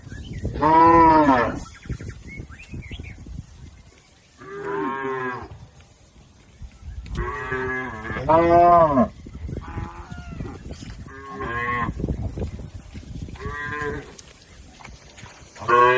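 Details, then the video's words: A herd of domestic cattle driven across a river to the pen, lowing repeatedly: loud harmonic moos from several animals, some overlapping, coming every one to two seconds. "Bunyi sapi"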